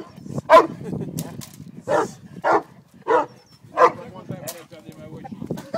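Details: At a French Ring seminar in Montreal, Haus the Cane Corso lets out five or six separate deep barks spaced about half a second apart, while human voices continue in the background.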